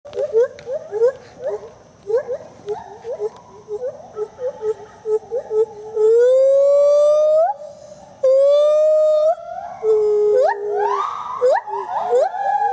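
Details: Two gibbons, Speedy and Maui, at the IPPL rescue centre in South Carolina, singing a duet: short rising whoops repeated in quick series, then long sustained rising wails and fast upswept notes layered over each other.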